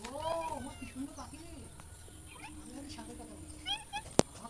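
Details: Cat giving one drawn-out, arching meow at the start, rising then falling, followed by human voices talking over the rest of the recording and a sharp click near the end.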